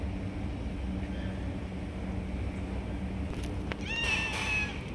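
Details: Stray cats jumping and grabbing food from one another: a single bright, strained meow with a quick rising onset near the end, preceded by a sharp knock, over steady low-frequency hum.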